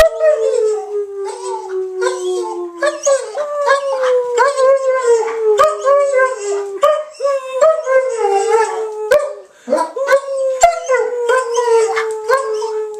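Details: A female German Shepherd gives long, wavering howls that slide slowly downward, howling along with her owner who started her off; German Shepherd.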